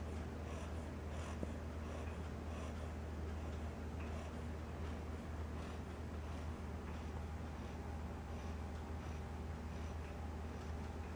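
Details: Cocker Spaniel puppy Solley, ten weeks old, asleep indoors, snoring with soft, rasping breaths that repeat roughly twice a second over a steady low hum of room noise.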